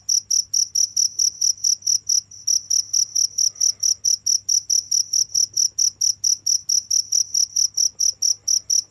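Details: Cricket chirping steadily, short high-pitched pulses repeating about four times per second with a brief pause near the two-second mark, a faint low hum underneath.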